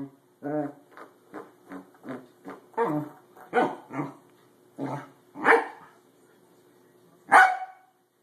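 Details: A Pembroke Welsh Corgi playing at being a door stop gives a run of short, throaty barks and grumbles, some rising into sharper yaps.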